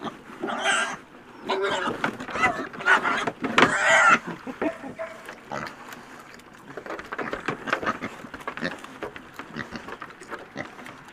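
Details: Piglets feeding at breakfast: four loud, harsh, broadband squeals burst out in the first four seconds, then fade into softer grunting amid busy chewing and rustling.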